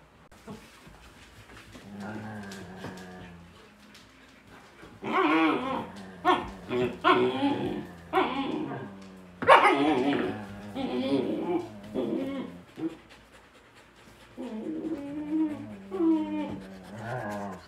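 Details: A Shepsky puppy makes weird noises while picking at the other dogs in play: a low, drawn-out grumble first, then bursts of high, wavering whines and yelps mixed with short barks. Faint music and a person's voice are heard briefly.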